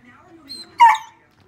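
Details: Border Collie trying to play with a dog statue it takes for a real dog, giving one short, sharp bark or yelp with a tonal edge, just after a woman asks about playing.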